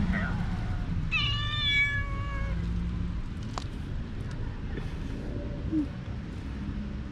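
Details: Street cat among neighbourhood cats described as mean and angry with each other, suddenly attacking one another; one drawn-out, slightly wavering meow lasting over a second, over steady low traffic rumble, with a man talking nearby.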